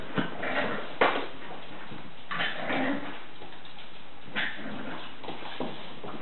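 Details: Several Staffordshire Bull Terrier puppies from a breeding kennel make brief yips and whimpering bursts spaced a second or two apart, amid rustling and scuffling movement indoors.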